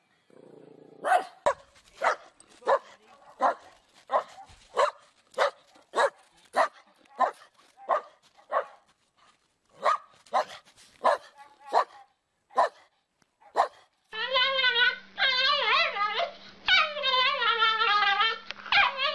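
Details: Dog barking in a funny compilation, clipped barks at an uneven pace of about one and a half per second, then a long wavering, whining howl over a steady low hum.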